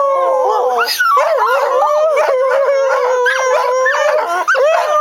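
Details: Pet dogs Jemma and Bubby join in as their owner sings "Crying Time", holding steady drawn-out wails that bend upward in short swoops, several voices layered throughout without pause.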